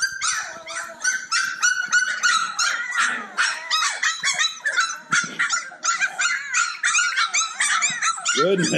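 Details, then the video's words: A bunch of Cane Corso puppies yip nonstop while playing, with rapid overlapping high-pitched yelps about three per second, a busy, chaotic chorus from several pups together. "Bunch of Yipping Puppies!"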